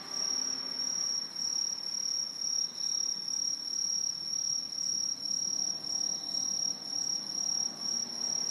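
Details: Many Aobamatsumushi tree crickets singing together from high treetops in Japan, an autumn insect: a steady shrill metallic ringing, rising and falling in soft pulses about twice a second, with faint distant traffic-like hum.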